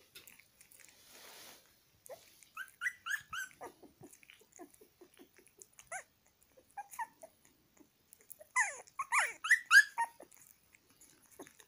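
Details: Puppy eating egg yolk whimpers in two bursts of high, quavering whines, the later burst louder and denser, with soft clicks and quiet gaps between.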